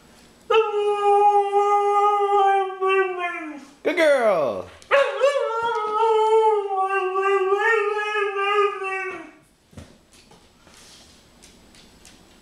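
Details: A female pet dog indoors in a small room "talks" with two long drawn-out howling notes, each about four seconds and slowly falling in pitch, broken by a sharp sweeping yelp between them. Her owner's affectionate voice is heard close by.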